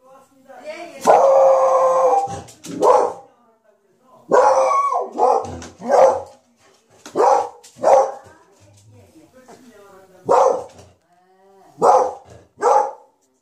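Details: Beagle puppies, 20 days old, indoors: a series of high whining squeals and short whimpers in bursts every second or two, with people talking quietly nearby.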